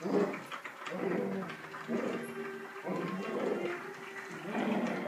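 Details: Sasha, a female husky/terrier mix dog, playing indoors at night while scheming to get a toy: low, drawn-out whining grumbles come in repeated bursts roughly every second against steady room noise.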